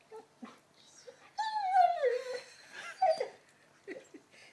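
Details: An 11-month-old Labrador named Lenny, fixated on his new ball, lets out one sliding, downward whine lasting about a second, then a short higher yelp, with quiet speech and small sounds around it.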